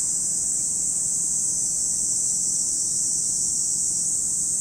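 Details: A continuous high hiss-like drone of cicadas at Lake Kamo, Sado City, Niigata Prefecture, Japan, even in loudness and unbroken throughout, nothing else clearly audible.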